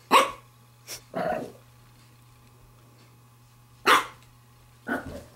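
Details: Pembroke Welsh Corgi puppy, female, almost eight weeks old, playing with a glove, gives bright yapping barks: two near the start with a short lower grumble, then a pause and two more yaps, over a background hum.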